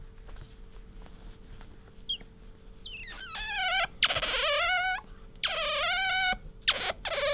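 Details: Pet otter Bingo squeaking as it rubs against its owner, loud wavering high-pitched squeals in long drawn bursts with falling and rising inflections, coming in several runs of rising intensity, low room hum beneath.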